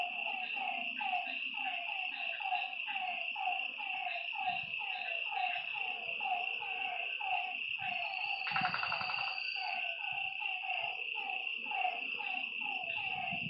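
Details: Frogs at a lake after dark give a dense run of quick, falling croaks, steady and overlapping, above a continuous high insect drone; a brief brighter rasping burst cuts in midway.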